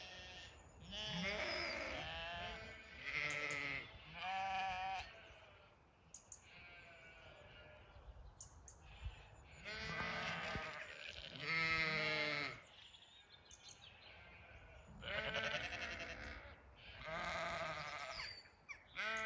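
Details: Zwartbles sheep calling so the flock gallops in from a distance for evening feed, farm in County Kilkenny, Ireland; long wavering bleats from several ewes arrive in bursts every few seconds, separated by quieter pauses.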